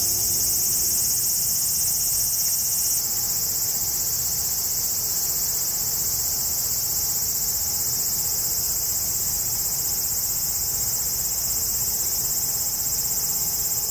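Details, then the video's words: A cicada chorus in the forest beneath the Yoro Mountains on Japan's Tokai Nature Trail toward Sekigahara: a constant, piercing high-pitched drone, slightly shifting in tone after a few seconds, with no other clear sounds. "Marching to a Japanese cicada sound track."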